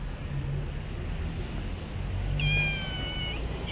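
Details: A stray cat on the street gives one drawn-out, fairly level meow with bright harmonics near the end, over constant low background rumble.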